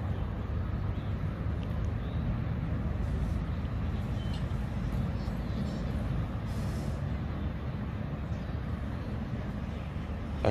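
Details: Dense low rumble of passing vehicles with a brief hiss like an air brake, and no animal voices.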